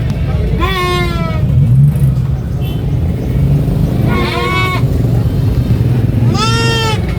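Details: Screaming baby goat on a sheep farm gives three strained, quavering bleats, each about half a second long and spaced two to three seconds apart, over steady low motor rumble and background talk.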